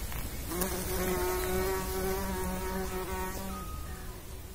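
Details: Low buzzing hum of a bumblebee among pollinating insects, holding a steady pitch for about three seconds before dropping away, with a softer hum lingering at the end.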